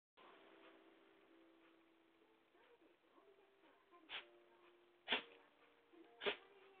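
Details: Shiba Inu named Takamaru sneezing while wanting jerky; three sharp explosive bursts about a second apart, with faint tonal background hum.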